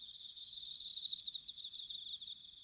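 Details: Autumn song of a bell cricket, recorded in Sanuki, Chiba, Japan with a field recorder: one clear, loud ringing trill lasts about half a second, then fades into a softer pulsing insect chorus.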